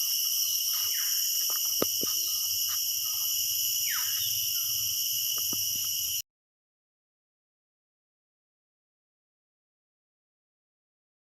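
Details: Deep inside a very large sal forest full of mosquitoes, a dense chorus of crickets all around gives a steady, high, shrill ringing, with a few footsteps and rustles.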